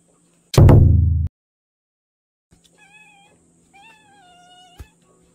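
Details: Kitten 68 days old, a mountain cat adopted 38 days earlier, gives two thin, clear meows, the first short, the second longer and slightly rising then falling, after a loud thump and knock near the start.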